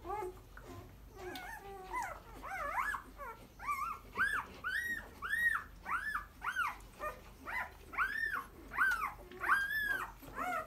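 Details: Boerboel puppies whimpering and squealing: a busy series of high, arched, whining cries repeated roughly every half second to second, some rising and falling in pitch, overlapping from several pups, indoors with a faint low hum behind.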